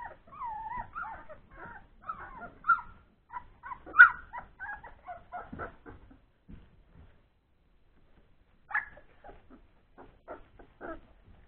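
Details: Old English Sheepdog puppies, born three weeks earlier, at play after feeding, giving a busy string of thin wavering whines and squeaks that rise and fall, with a louder squeal midway and scattered short yelps afterwards.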